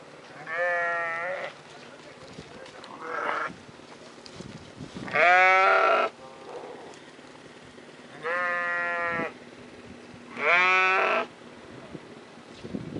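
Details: Sheep and lambs in a valley bleat in long, wavering, nasal calls repeated every few seconds.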